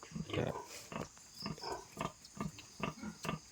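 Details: Newborn piglets on a pig farm, sow giving birth around one o'clock: rapid short grunts and squeaks repeated roughly every half second, with a steady high hum in the background.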